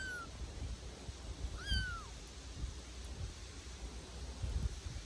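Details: Bengal kittens from a litter playing in a back garden, being accustomed to different noises and stimuli: one clear, high, slightly falling meow midway, a faint short one at the start, low outdoor rumble throughout.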